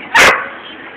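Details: A dog at a belated Halloween costume meetup for dogs on the South Shore of Long Island, Bellmore, gives one loud, sharp bark lasting a fraction of a second, amid crowd chatter.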